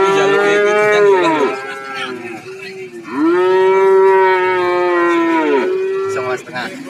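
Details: Cow lowing at the cattle market in Warujayeng, Nganjuk: two long, strong moos, each held level for over a second before sagging downward, separated by a brief pause, with faint market background.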